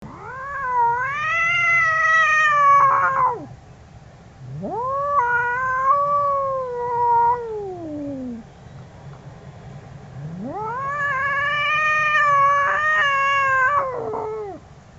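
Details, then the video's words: Angry domestic cats caterwaul in long drawn-out wails, each rising then sliding down, three wails over fifteen seconds with a steady low hum beneath. "2 Angry Cats Sounds Angry Cats Sound Effects Cats Meowing Loudly Billi Ki Awaz Billi ki Awaj"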